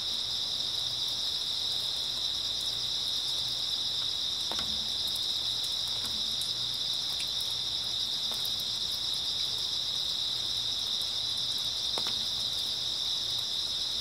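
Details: Night-time grass insects in early autumn keep up a steady, piercing trilled chorus, while scattered soft taps and clicks fall here and there, as of light drips.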